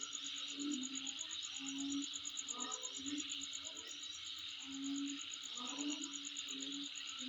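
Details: Insect sound recorded at home: an unbroken high-pitched buzzing chorus with a quick, pulsing very high trill, plus intermittent low droning hoots and brief clustered chirps in the background.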